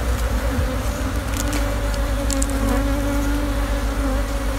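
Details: Honey bees swarming around their opened nest of sixteen brood-heavy combs beneath an abandoned sofa overgrown with vines, as honey is cut out; dense steady buzzing hum with clear sustained tones and a few light clicks of handling.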